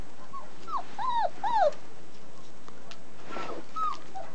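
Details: German Shepherd puppies, 29 days old, raised in a family setting at a breeding kennel: a quick run of high, arched, falling whimpers and yelps in the first two seconds, then two fainter whines after a pause, with light background rustle.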